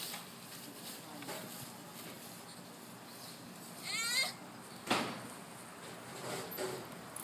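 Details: Baby sloth making noises while exercising during playtime among other babies: one brief, high, wavering squeal with stacked overtones near the four-second mark, a short soft squeak around five seconds, over steady faint hiss.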